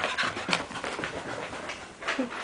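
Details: A Scottish Terrier being silly pants in quick, rough, breathy bursts, with a few brief whimpery squeaks. A person's voice calls it to come here and get its tail.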